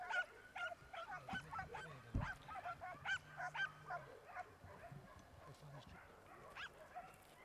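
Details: Italian Segugio scent hounds trailing a hare from an orchard toward a vineyard in Italy; quieter, more distant baying in short bursts that fade toward the end, with a thump and background hum.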